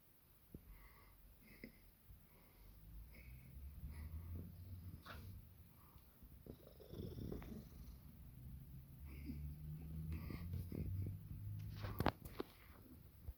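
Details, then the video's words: British Shorthair cat named Sara, sleeping indoors, snoring: soft low rumbling breaths repeated roughly three times a second, swelling and fading in slow waves, with a few faint clicks and rustles near the end. "Кошка ХРАПИТ"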